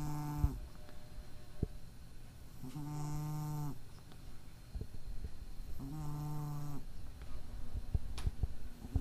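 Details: A cat with a minor nasal problem, sleeping normally, snores steadily: three buzzy, low-pitched breaths of about a second, spaced near three seconds apart, with faint clicks between. Recorded 23 April 2012.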